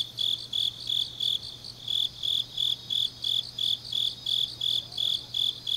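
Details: Deep-autumn night in Changnyeong, South Gyeongsang, Korea, with grass insects calling: piercing high chirps spaced evenly, roughly two per second, a softer trilling layer above, and a faint continuous low hum.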